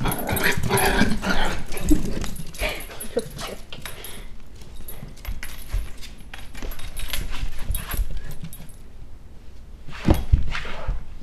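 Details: A young pet dog play fighting, with bursts of gruff growling and yips over scuffling noises, a person talking at times and a loud bump near the end.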